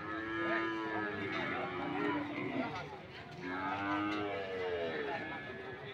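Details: Cattle at a cattle market in Sokaraja, Banyumas, giving two long, low, drawn-out moos, each sliding slightly downward, with a murmur of market noise and faint talk behind.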